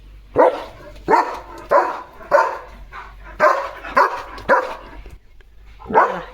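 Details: Pet German Shepherd at a house, said to guard the gate day and night, barking while playing: eight loud, sharp barks spaced roughly every 0.6 to 1 second over six seconds, with faint household background.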